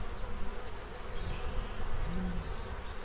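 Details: Bees feeding to prepare for winter in Central Illinois, gathered at a feeding tray they drained in a couple of hours; a steady low droning hum of many wings, with a brief higher whine near the end.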